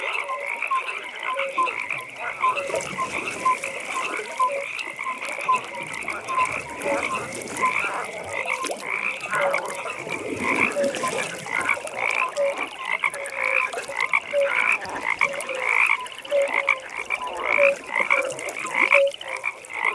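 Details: Many frogs croaking together at a pond at night, a dense chorus of short repeated croaks in several pitch layers, with high trilling notes pulsing steadily behind and soft ambient hiss throughout.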